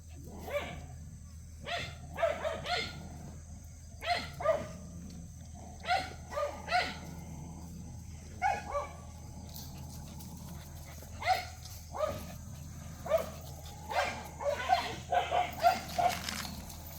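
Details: Cheondori's puppies bark playfully in a busy run of some twenty short, high yaps, grouped in pairs and clusters and growing denser toward the end, above a faint continuous hum.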